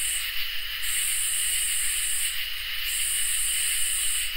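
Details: Summer night chorus of crickets and katydids, with long high buzzy bursts lasting about a second and a half, separated by short gaps, layered over an unbroken insect trill lower down.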